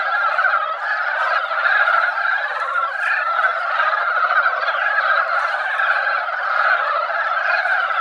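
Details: Mountain frogs crowding a mountain-valley pond after a ground-dampening rain, singing in their yearly breeding season. A clean, unbroken chorus of many overlapping clucking croaks, with no other sounds clearly heard.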